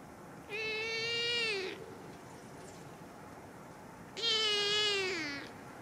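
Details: Hungry male kitten left without food calls twice: two clear, loud meows about a second long, steady then dropping at the end, separated by a three-second pause over quiet hiss.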